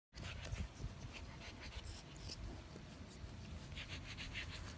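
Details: A male English Bulldog snorts and pants steadily while enjoying a belly rub, a rough, breathy rumble with low grunts throughout.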